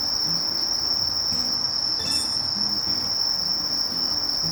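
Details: Steady, shrill, continuous note from the katydid Conocephalus melaenus, interrupted by one brief soft tick midway, with quiet low-pitched background noise.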